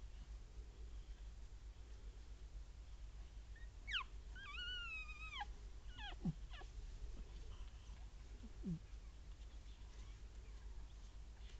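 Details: Papillon puppies, a newborn litter of one female and two males born 16 April 2013, with their mother Tinka: a long, high, wavering whine that falls in pitch at its end, then brief sharp squeaks over a quiet, hissy background.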